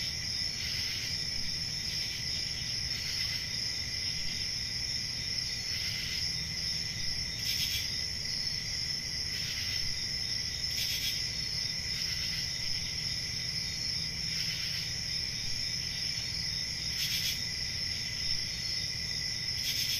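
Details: A rural summer night chorus of crickets: an unbroken high-pitched trill with several stacked buzzing tones, punctuated by short, brighter chirp bursts at irregular intervals of one to three seconds, over a gentle low hum.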